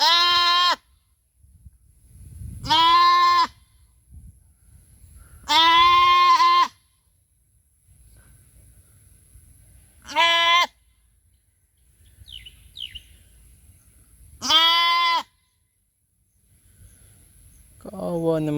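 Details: A farm goat searches for her missing kid, feared bitten by a cobra, bleating repeatedly: five loud, buzzy, steady-pitched calls of varying length at irregular gaps, with a human voice starting at the end.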